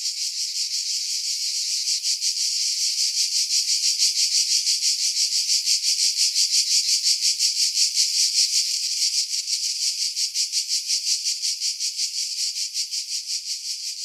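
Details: Cicadas in pine trees about 50 m above the sea at Pefkos Bay, Skiros Island, Greece, in July 2018, filtered to remove wind: a dense high buzzing pulsing rapidly and steadily throughout, about three pulses per second.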